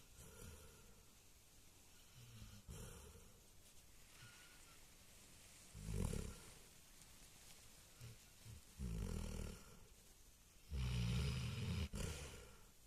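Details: Sleeping Alabai, a Central Asian Shepherd Dog, snoring loudly: deep, rasping rumbles come in bursts of about a second, spaced irregularly a few seconds apart, with soft breathing between them.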